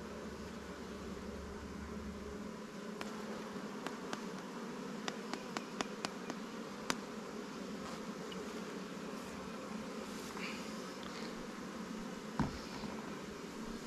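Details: Honey bees at newly captured swarm hives, Langstroth and Warre, in an apiary while frames of resources from stronger colonies are added; a steady, dense buzzing hum throughout, with scattered sharp clicks and taps of hive equipment.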